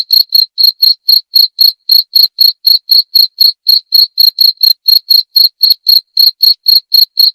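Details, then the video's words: Cricket chirping steadily, each short chirp ringing high and pure, about four chirps per second in an unbroken run, with no other sounds. "Suara Jangkrik"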